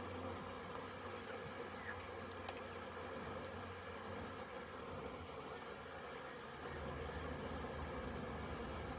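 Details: Honey bees making orientation flights around a very busy hive, many both inside and outside, 22 September 2022; a steady, dense low hum of many wings droning throughout, slightly louder in the last seconds.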